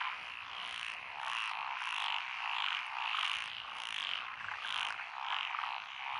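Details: Frog chorus from lotus rice paddies along a country road in Echizen, Fukui, Japan, recorded 12 June 2021; many frogs calling together in dense, overlapping croaking pulses, roughly ninety per minute, forming a continuous wall of sound.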